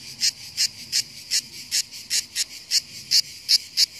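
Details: Camouflaged cicada on the hills in full song: bright rasping buzzes pulsing roughly three times a second, each burst short and strident, with quiet low rumble between them.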